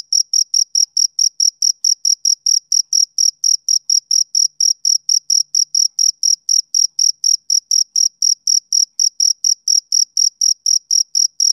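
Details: A male cricket chirps on a summer evening, giving a rapid series of piercing, high-pitched pulses at about four per second, steady and uninterrupted, with no other animals or noise.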